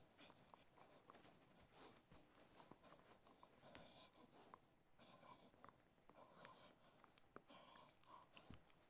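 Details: Ted, a Cocker Spaniel, eats different kinds of food. Dense, irregular crackling and snapping bites run continuously, with brief louder clicks scattered throughout and a soft rustling underneath.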